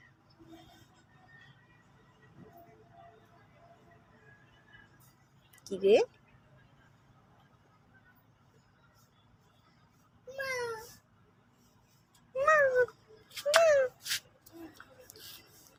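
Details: Sulking domestic cat heard indoors: one short rising meow, then after a pause three more meows, the last two arched and falling at the end, close together. Brief speech and a low background hum fill the gaps.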